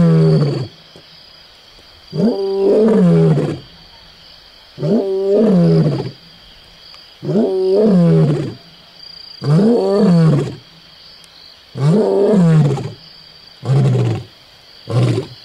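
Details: Close-up lion on Onguma Game Reserve in Namibia roaring repeatedly: seven deep, groaning, downward-sliding calls roughly every two seconds, separated by short quiet gaps, over a faint constant high-pitched hum.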